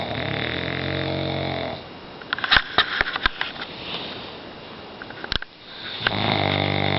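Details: Omar the pug sleeping and dreaming indoors, snoring in deep, rumbling harmonic breaths at the start and again near the end, with a stretch of soft sniffs and sharp clicking snorts in between.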